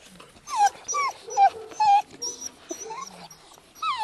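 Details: Dogo Canario puppies twelve weeks old, from a litter born 11 February 2010, give a run of high whining yelps. Each yelp slides downward, about six in four seconds with uneven gaps, and faint rustling sits underneath.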